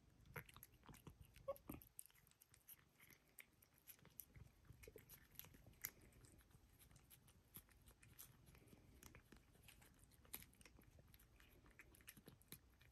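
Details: Sweetie, a pet cat, eats a treat indoors: soft irregular crunching and biting clicks scattered through a quiet room, with no vocal calls.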